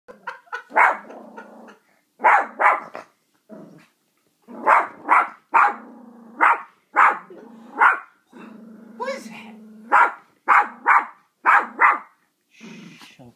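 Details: Luna, a six-month-old Yorkshire Terrier, barks and growls at a dog frozen on a TV screen during a movie; sharp barks come in quick pairs and bursts, about a dozen over the stretch, with short growly pauses between.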